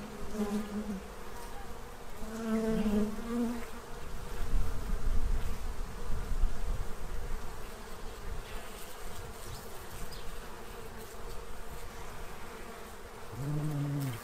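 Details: Bees feeding at a tray before winter in Central Illinois make a continuous buzzing hum, while short nasal honk-like calls, likely farm birds, break in near the start, around three seconds, and at the end over low rumble.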